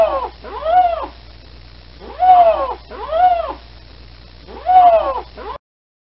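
A lynx gives four drawn-out, cat-like yowls, each one rising then falling in a wailing arc.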